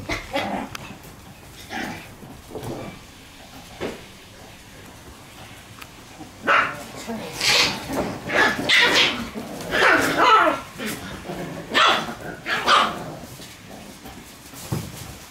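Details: Shiba Inu puppy playing energetically indoors in a room: bursts of short yappy barks and whines clustered in the second half, with people talking in the background and quieter rustling earlier.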